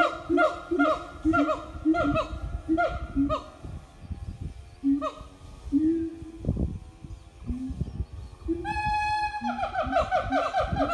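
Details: Morning singing of a siamang family at an eco-tourism organic farm, with quick hoots, low booming notes and a rising scream, over rustling and handling noise.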